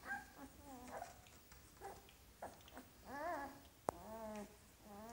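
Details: Golden Retriever puppies, filmed 25 February 2017, whining and whimpering: high, wavering, arching cries repeated in short bursts, with several pups overlapping and one sharp click.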